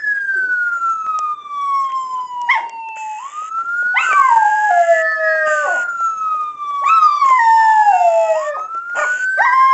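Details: Miniature Schnauzers named Duke and Duchess howling together, overlapping long sliding tones that fall slowly and then jump back up, with breaks and short yelps between phrases.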